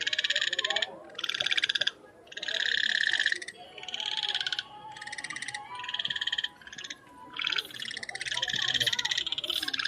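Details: Frogs croaking in natural surroundings: bursts of rapid, rattling pulsed croaks lasting about a second each, repeated in quick succession with brief gaps, several callers overlapping, with a faint lower background hum.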